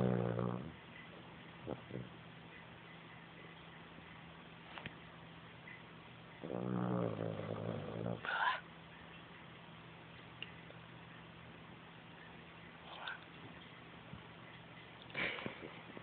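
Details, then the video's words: Puppy asleep, giving a rough low snore near the start and another around six seconds in, followed by a brief higher snort, with faint soft sniffs and room noise in the pauses. "My snoring puppy"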